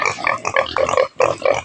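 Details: Native pig on a rural farm, about to be fed taro, giving short nasal grunts in quick bursts, two clusters split by a brief pause.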